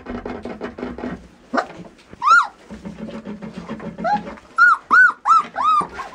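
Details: Border Collie letting out high, arched whining yelps, first in scattered bursts, then as a quick run of four near the end, over a low indoor murmur.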